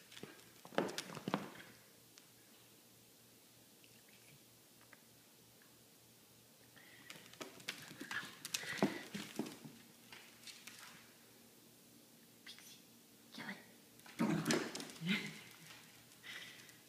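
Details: Two corgis playing tug of war indoors: short rough growling bursts with harmonic tone rise in two clusters separated by quieter stretches, over scattered sharp clicks and tapping from paws and the toy.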